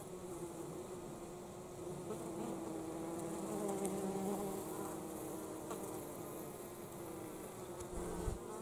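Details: Wintertime honey bees returning with pollen make a constant busy drone. Overlapping wingbeat tones waver and rise briefly midway, over a steady low hum.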